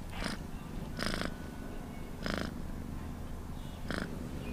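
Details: Cat purr heard as a soft continuous low drone, with four distinct airy bursts spaced about one second apart standing out above it.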